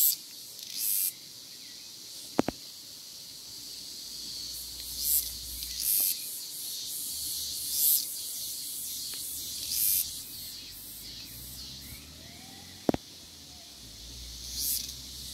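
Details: A cicada sings in the wild: a continuous shrill hiss, broken by brief louder buzzy swells at irregular intervals, with occasional sharp ticks and faint low background rumble.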